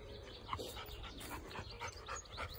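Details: Chocolate Labrador Retriever out walking in a grass field at Fox Field in the countryside around Rugby, breathing in rapid, regular huffs roughly three to four per second, with a faint low rumble of wind behind.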